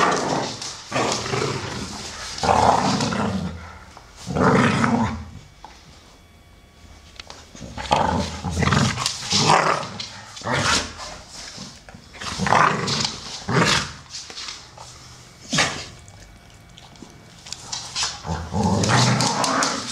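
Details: Amstaffs Solo, brown male aged 12, and Shaya, grey female of 1 year 8 months, playing together; long throaty growling rumbles come in repeated surges every few seconds, mixed with panting and snorts.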